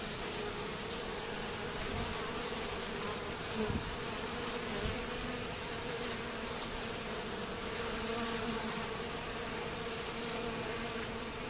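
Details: Robbing honey bees crowding a hive entrance guarded by a bent Z-shaped screen; many bees give a thick, unbroken droning buzz, with a few soft knocks and clicks scattered through the steady hum.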